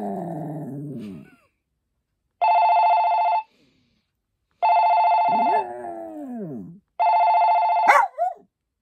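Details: A Maltese dog called Poppy gives long, sliding, mournful howls that dip and waver in pitch, interleaved with loud steady one-second telephone rings. A sharp yelp-like cry ends the sequence.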